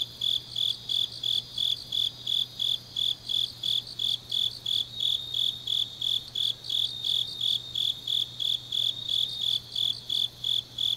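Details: Grass insects calling through a deep autumn night in Changnyeong, South Gyeongsang Province, Korea: rhythmic high chirps, close to three each second, over a second softer pulsing insect voice and a dull low background hum.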